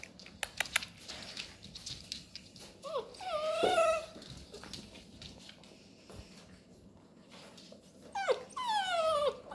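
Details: Labrador Retriever puppies playing indoors with cardboard rolls; high, wavering whines and yelps rise and fall in short bursts, with scratching and rustling of cardboard between them.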